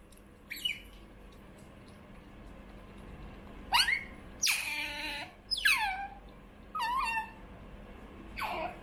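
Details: Indoors, Choco, a hand-raised female pet otter, makes strange noises for food: short piercing squeaks and longer falling squeals, spaced about a second apart, one fuller wavering cry near the middle, over a low electrical hum.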